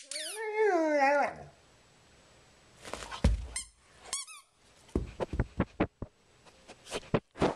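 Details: Rhodesian Ridgeback named Nika singing a tune indoors: one drawn-out, harmonic-rich whine sliding downward for over a second, followed by scuffling clicks, thumps and a few brief high squeaks.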